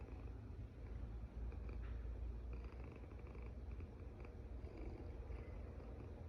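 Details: Cat asleep and snoring: a low, rough vibrating rumble, fairly even, with brief dips and faint light clicks above it.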